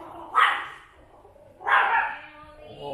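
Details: Female Chihuahua barking at arriving guests at home, two sharp barks about 1.4 seconds apart with people talking in the background.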